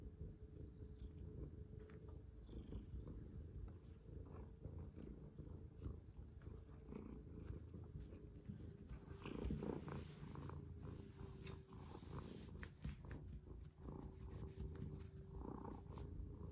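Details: Indoor house cat purring while its owner plays with it and rests a hand on its paw; a long, even, deep purr with a faint sustained tone and occasional clicks and rustles.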